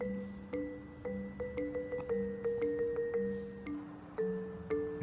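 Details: Bright plucked background music with a bouncy repeating melody of tones; no animal voice heard.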